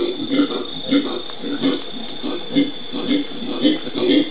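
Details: Howler monkeys in Brazil's Pantanal, recorded 13 January 2011, giving deep, throaty grunts in a steady rhythm, roughly two per second, with a constant faint hum underneath.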